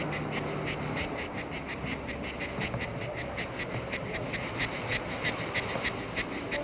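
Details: Cicadas singing in France, 1995, a rapid run of short buzzy pulses, roughly four each second, forming an even rhythmic rasp over a faint low hum and background noise.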